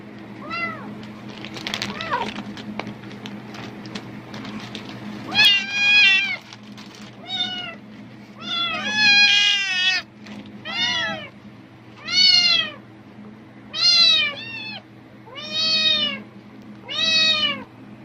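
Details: Cat reacting strongly to rustling plastic bags, apparently thinking food is there: plastic crinkling at first, then a long run of repeated arched meows, roughly one every second and a half, over a steady low hum.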